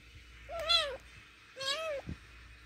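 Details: Angry kitten indoors giving two drawn-out, nasal meows about a second apart, each with a slight rise then fall, over a quiet room hum.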